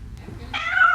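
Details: A domestic cat, heard in the background at a pet-industry pitch event, gives a short, nasal meow that holds steady and then rises slightly at the end.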